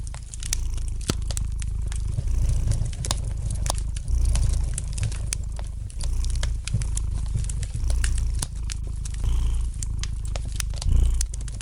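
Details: Domestic cat purring gently beside a fireplace: a steady, deep rumbling purr that swells and eases in long waves, overlaid with sharp, scattered crackles and pops from the burning fire.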